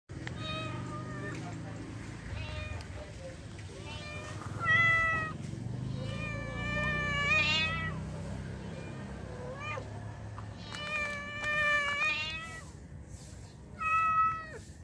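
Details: Male cat calling to a female: a series of drawn-out, wavering meows and yowls, some rising then falling, several bunched together near the end, separated by pauses, over a low background hum.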